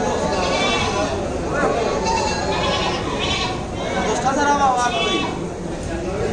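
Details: At a Bangladeshi goat market before Eid in 2019, goats bleat in short quavering cries, one especially clear near the end, over a steady din of many people talking.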